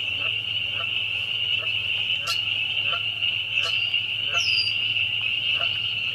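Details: A really loud bunch of spring peepers forms a dense, unbroken high-pitched ringing, while a lower rhythmic pulsing ticks along roughly twice per second and an occasional quick upward chirp cuts through.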